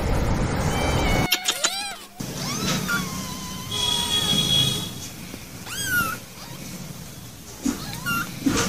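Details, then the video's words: Domestic cat giving a few short, arched meows spaced seconds apart, partly masked by steady broadband background noise and other faint sounds. "Animal sounds around us | sounds & Videos Elephant , Cat , lion, Tiger ,Hippo , Hors birds"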